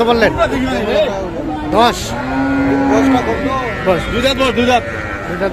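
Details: Cows with calves at Kaharol cattle market in Dinajpur, Bangladesh, on 18 August: a single steady low moo lasting about a second midway, with shorter lowing around it, set against constant chatter of people at the market.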